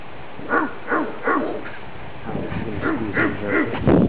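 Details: Pair of howler monkeys recorded in Nicaragua in 2013, exchanging calls with a guide: rasping, arched guttural pulses in short bursts, a brief pause, then a rougher, louder run building at the end.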